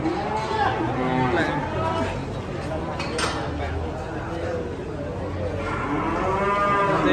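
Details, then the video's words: Cattle that slipped and broke a leg give short harmonic moos over crowd chatter and music. "SAPI KEPLESET BIKIN KAKI PATAH"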